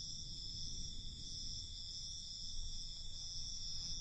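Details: Crickets at night keep up a constant shrill, buzzing trill high in pitch, steady from start to finish above a faint low rumble.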